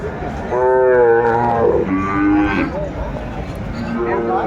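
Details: At a Kurigram cattle market in Bangladesh, 14 December 2024, a Sahiwal calf utters a clear, steady, harmonic low lasting about a second, then shorter wavering moos, with people talking nearby.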